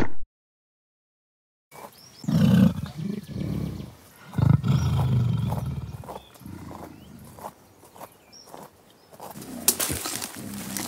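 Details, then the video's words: Giant gorilla grunting: deep, low, rough grunts in loud bursts lasting about a second, several in a row after a brief silence, then fading into quieter rumbles with a sharp louder burst near the end. "GIANT GORILLA GRUNTING"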